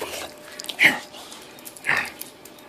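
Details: Two brief, raspy, mid-pitched bursts about a second apart from Bravo the Bulldog while playing indoors with a companion, recorded 8/20/13, over a low room hiss.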